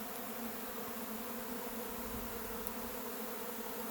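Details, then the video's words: Honey bee swarm leaving the hive and taking flight: a dense, steady buzzing drone of many bees, with humming bands low and mid, even in loudness across the four seconds, no other sounds standing out. "A Honey Bee Swarm leaves the hive and takes flight."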